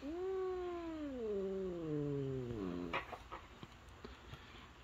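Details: Female domestic cat, usually friendly, turning territorial and in a bad mood, gives a long low moaning growl with strong harmonics, slowly falling in pitch over three seconds, then quieter clicks and rustles while a person speaks soothingly.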